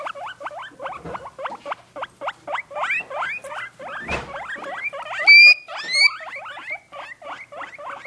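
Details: Two guinea pigs romping in a cage: a steady stream of quick rising chirps, broken near the middle by a rustling thump and then by two shrill, whistled wheeks before the chirping resumes.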